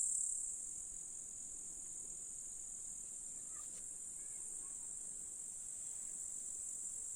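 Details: Summer grasshoppers in July, Russian countryside meadow with flowers and a lake, keep up a steady, even, high-pitched sizzling drone throughout, slightly stronger at the start, with no other clear sounds.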